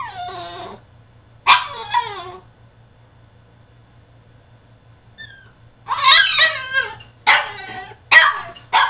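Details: Caged French Bulldog in a tantrum, letting out loud, harsh, high yelping cries in bursts, a long silent gap in the middle, then rapid strained squeals packed close together.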